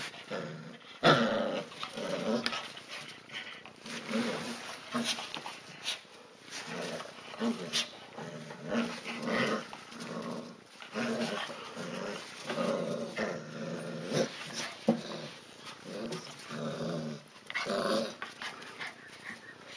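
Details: Siberian Husky puppies, including Kala with both ears up, playing tug of war over a monkey toy indoors; rumbling, pulsed growls come in repeated bursts throughout, with scuffling and brief louder yelps.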